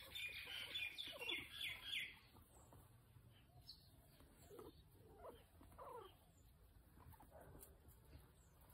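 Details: Guinea pig named Potato during nail clipping: a quick burst of high, squeaky, stacked chirping squeals over the first two seconds, then only soft clicks, rustles and faint low murmurs.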